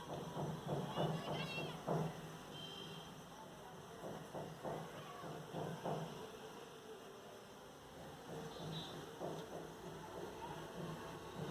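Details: Kittens fighting with loud noise: harsh, wavering yowls and growls in bursts through the first six seconds, quieter after, with background music and a human voice.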